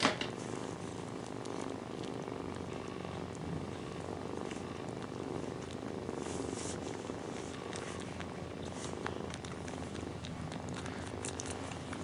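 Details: Nursing mother cat with her kittens, purring continuously: an even, low, throbbing rumble that holds steady throughout, with scattered light rustling and small clicks above it.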